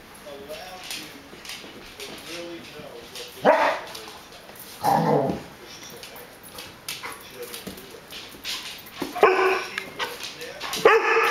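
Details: Rhodesian Ridgeback puppy pestering a Border Collie to play until it finally joins in: scattered sharp barks several seconds apart, then a cluster of quicker yips near the end, over low talking and room noise.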